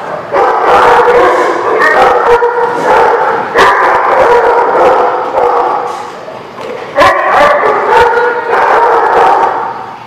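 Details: Many dogs barking together at a dog facility, recorded 26 September 2016; dense overlapping barks and yips blend into a continuous loud chorus with brief dips.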